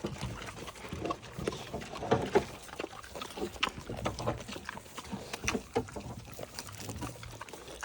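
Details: Several small Vietnamese potbellied pigs (Sus scrofa domesticus) at an animal sanctuary give short, low, rough grunts in quick irregular bursts with snuffling between, while a woman asks them to sit.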